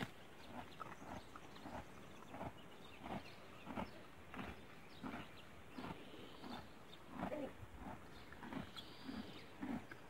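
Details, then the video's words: A horse grazing on grass makes a string of crisp, rhythmic crunching and ripping sounds, each bite-chew burst following the last closely, against a faint outdoor hush. "صوت أكل العشب عند الحصان Le bruit du cheval mangeant l'herbe"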